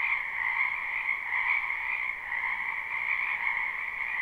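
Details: Many frogs calling together in a wetland during spring; a constant, shimmering mass of rapid croaks merges into one unbroken high hum, slight pulses in loudness, no other sounds standing out.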